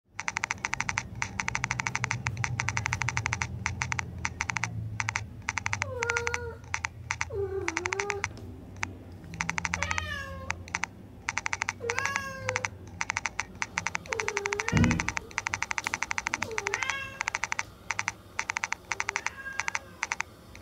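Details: A domestic cat meows repeatedly during a game with toy cockroaches, short rising-then-falling mews every one to two seconds over a constant rapid clicking like typing.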